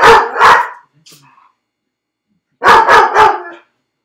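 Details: Felix, a dog left alone in a dog crate on a second try at being left, barks in two short bursts: a pair of sharp barks, a faint whimper, then three more loud barks after a pause.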